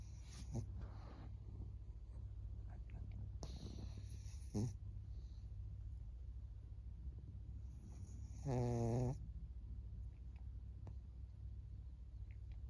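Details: Maria, a 14-year-old fawn female senior pug in Japan, snoring: a steady low rumbling drone throughout, with a brief louder snort near the middle and a short higher-pitched whine near the end.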